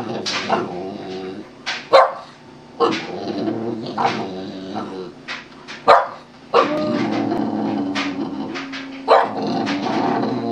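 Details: A Boston Terrier performing for a treat yowls and howls in wavering, drawn-out bursts, prompted by the owner's voice urging it to "sing".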